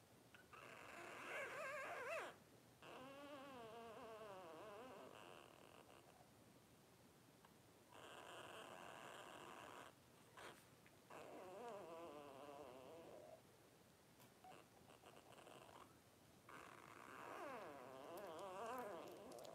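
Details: A litter of five blenheim Cavalier King Charles Spaniel puppies, 12 days old and born at New Year's 2023, whine in long wavering, quavering bursts of several seconds each, separated by brief pauses, indoors.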